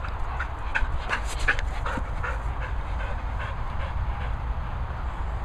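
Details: Border Collie playing at a boarding and training kennels in the Worcestershire countryside, England; quick breathy panting bursts, several each second, over a steady low wind rumble.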